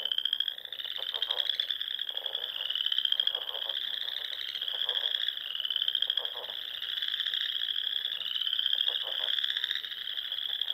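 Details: Many frogs singing at dusk in spring on a Sandhills pond in Nebraska, high continuous trills with upward-sweeping phrases every couple of seconds and bursts of low clicking pulses.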